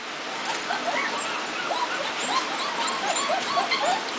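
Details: Puppies from a kennel litter, brought indoors during a thunderstorm: many small high whines and squeaks overlapping, thin rising and falling cries, with a steady hiss behind and a woman speaking softly nearby.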